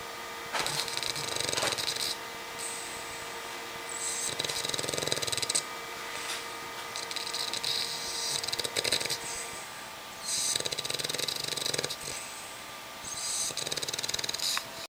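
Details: An Olde English Bulldogge snores in his cage with his head resting on a toy, making hissy, rasping breaths that repeat every two seconds or so.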